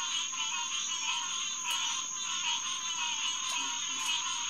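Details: Green tree frogs (Hyla cinerea) chorusing at the Headquarters Pond, SMNWR, around 9:10 pm on June 2, 2021: a dense wall of overlapping nasal calls, with a steady high whine running above the chorus.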